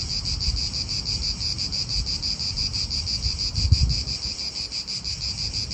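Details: Italian park atmosphere: cicadas keep up a continuous high, finely pulsed buzz while wind and distant cars rumble low, a short knock sounding near the four-second mark.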